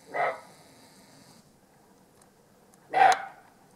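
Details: A roe deer, filmed in Alsace, gives two hoarse, gruff barks about three seconds apart.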